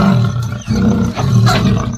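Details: Leopard caught in a cage trap at midnight at Champawadi village, Vyara taluka: loud, deep, rumbling growls in long harmonic bursts, with brief dips near the half-second mark and again just after one second.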